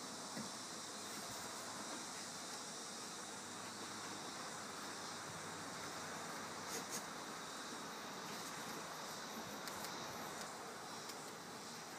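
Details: Steady broadband hiss with a faint low rumble and a few brief clicks, no animal voice standing out.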